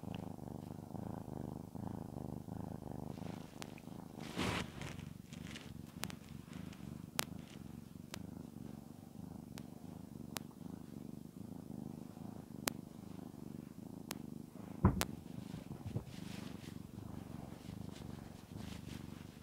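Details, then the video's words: Petted house cat Shamotra purring softly, a low continuous rumble beneath rustling of fur and several sharp clicks and taps, a brief louder brushing noise near the start. "Я глажу кошку, а она мурлыкает. I pet the cat, and it purrs."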